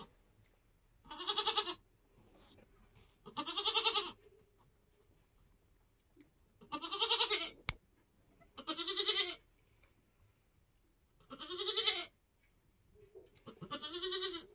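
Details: Homestead Nigerian Dwarf goat in labour during kidding season, kids being born: six long, wavering, harmonic bleats, each about half a second to a second long, spaced roughly two seconds apart, with a sharp click near the middle.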